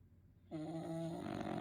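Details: Sleeping French Bulldog giving one steady, droning snore with a buzzy tone that starts suddenly after a short silence.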